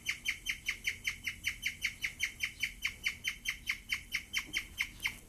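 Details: A female guinea pig, very excited while eating wheatgrass for the first time, chirps in a steady, bird-like series of high, bright notes, several each second.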